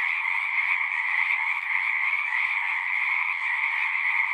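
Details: Frogs singing at a pond in a horse pasture, recorded with a Zoom recorder: a dense, steady chorus of overlapping trills forming a continuous high buzzing band, with a lower second band, unbroken throughout.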